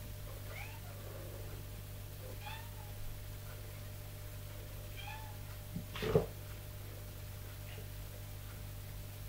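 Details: Tipsu, a mother cat training her kittens to climb stairs, gives short chirping meows to command and call them: four or five brief rising calls spaced roughly two seconds apart over a steady low indoor hum.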